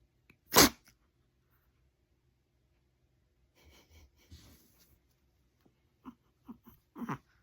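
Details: Chihuahua startled by its own sneeze: one sharp, loud broadband sneeze burst near the start, then quiet rustling and a few short soft snorts toward the end, indoors.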